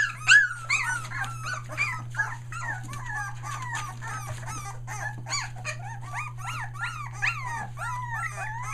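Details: A litter of Aussie puppies nearly three weeks old, near Mooresville, NC, cry nonstop: rapid overlapping squeals and rising-falling whines, several pups at once, over a constant low electrical hum.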